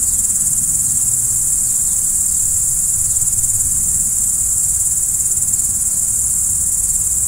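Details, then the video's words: Night-time crickets in a constant shrill, high trill that never pauses, over a faint low background hum. "Stars at Night BLACK B/G - Video & Audio Crickets"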